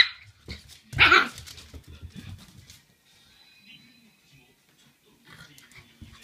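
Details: Shiba Inu puppy indoors at home, greeting its owner just back home and barking at the owner's feet, seemingly angered by their smell; a single loud, sharp bark, then quiet with soft rustling and faint voices.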